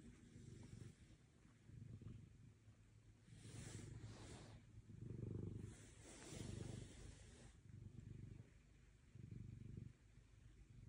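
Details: Orange tabby Otis snuggles a person's arm like a body pillow during a bedtime belly rub. A steady, deep purr swells and fades with each breath, about every one and a half seconds, with faint rustling between.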